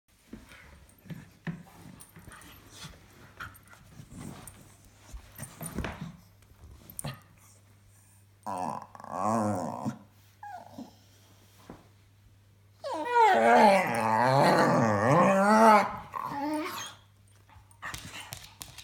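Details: A pet dog making funny noises: two stretches of wavering, warbling whine-moans, the second longer and louder, lasting about three seconds. Between them are quieter snuffles and rustles, with a steady low hum throughout.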